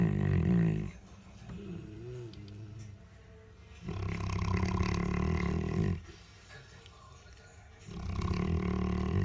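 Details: Central Asian Shepherd Dog, a nursing mother of six-day-old pups, sleeping soundly after eating; gravelly deep snores of about two seconds recur with quiet intervals, the dog possibly dreaming.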